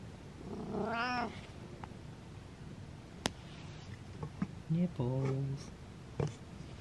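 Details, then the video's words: Butters, a pet cat, lets out a long wavering meow that swells then falls, followed by a shorter, lower, flatter meow a few seconds later, with a sharp click and soft human voices between them indoors. "The Meowy Llama"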